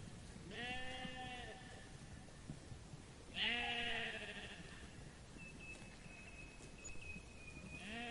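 A sheep gives loud, wavering bleats, each about a second long, with short pauses between.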